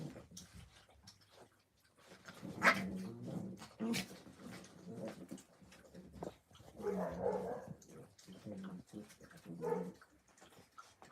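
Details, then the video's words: Puppies at play on a Friday morning in Illinois, indoors in a small room; short low growling bursts and a few yips recur through the clip, with a person talking in the background. "Puppy playtime"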